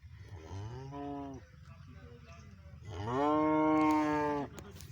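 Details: Friesian heifer mooing: a softer, lower moo is followed after a pause by a longer, louder moo with a rich harmonic tone that holds steady for over a second, then cuts off.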